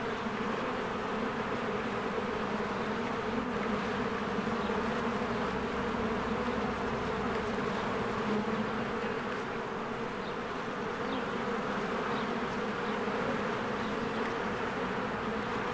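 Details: Honeybees flying busily around a cozy hive in spring, an even, continuous buzzing drone holding steady throughout, with occasional faint high bird notes above.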